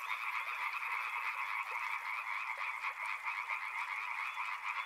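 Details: Frogs near a river croaking en masse: a thick, fast-pulsing chorus with rough, repeated notes over a continuous mid-pitched drone.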